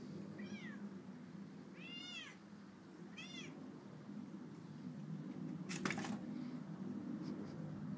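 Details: Amber, a Bengal kitten, playing outdoors by a patio table: three short high meows in the first few seconds, each with arched harmonic bands, then a sharp clatter near six seconds over a steady low background rumble.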